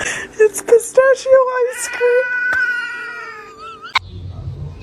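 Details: Kitten meowing indoors: a run of short, high, evenly pitched mews, then a long drawn-out meow that wavers and slowly rises before a sharp click and a low rumble at the end.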